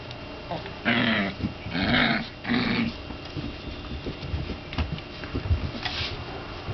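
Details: Five Shiba Inu puppies roaming freely indoors: three rough growling yaps in the first three seconds, then steady room noise with scuffling and soft movement.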